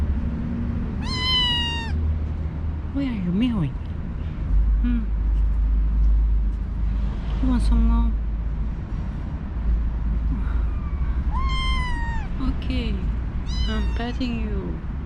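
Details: Among nine newly arrived kittens in a kitten cage after vet treatment, kittens give high, thin meows that arch up then fall in short bursts; one talkative male meows a lot even when fed. A woman talks softly.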